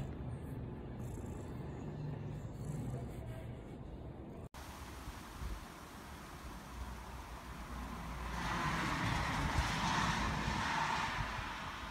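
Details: Roadway traffic hum with passing vehicles and a hint of music, and no animal voices.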